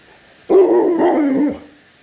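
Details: Pet Alaskan Malamute making a talkative sound: one drawn-out, warbling woo vocal of just over a second, starting abruptly and loud, wobbling in pitch, then slowly fading and dropping at the end; quiet room otherwise.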